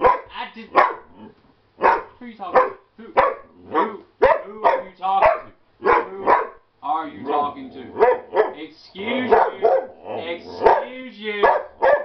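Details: A sassy Shepherd/Husky mix named Naga keeps up a shouting contest, pouring out rapid, wavering yowls and grumbling howls almost without pause, while a person talks back to him.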